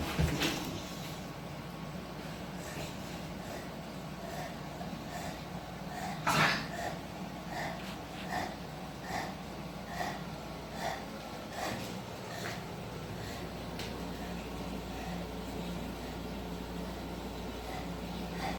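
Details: Bulldog indoors in New York City, hiding away, giving repeated short rough snorting breaths, spaced and uneven, with one louder burst midway, over a steady low room hum.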